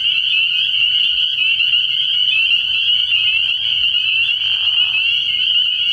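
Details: Spring peepers calling at night in early year from a frog pond, a dense high chorus of overlapping peeps forming a continuous shrill band, with a brief lower burst near the end.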